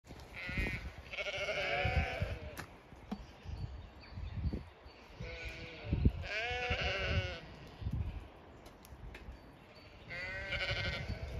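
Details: Zwartbles sheep flock on a regenerative farm in County Kilkenny, Ireland, calling to each other that they are to be fed; harmonic bleats come in separate bursts around seconds 1, 2, 6–7 and 10, with low rustling and thumps between.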